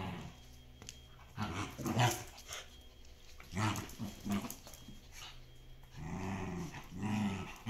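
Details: Shiba Inu and Samoyed at play in the Netherlands, tugging a toy; uneven low growls and scuffling, a few sharp clicks and knocks, then two longer growling bursts near the end.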